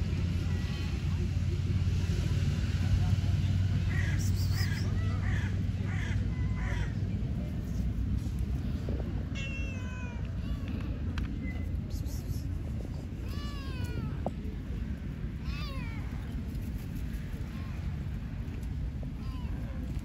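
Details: Hungry stray cats on an Istanbul street in Turkey meowing for food: a string of short, bent meows, some rising then falling, coming in bursts over about ten seconds, above a constant low street rumble with occasional voices.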